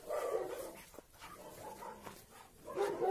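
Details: Two Labrador Retriever brothers, Oscar and Graf, playing together after months apart. Rough, harmonic growling bursts open and close the stretch, with quieter grunts between and a person's voice nearby.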